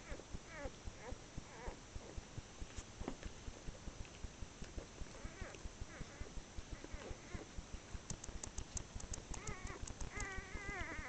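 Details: Newborn whippet puppies, six hours old, a blue female's first litter, November 2013: thin, high squeaks and wavering whines scattered throughout, growing busier and louder near the end, over steady rhythmic clicking.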